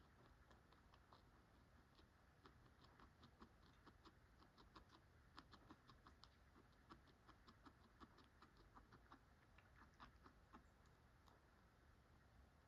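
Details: A guinea pig eating pellets, a steady run of quick, dry crunching clicks against a soft low hum.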